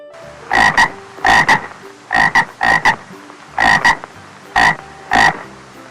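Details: Frog croaking in paired, rasping bursts, each double pulse roughly half a second long, repeated about seven times at irregular intervals over a faint steady background hum.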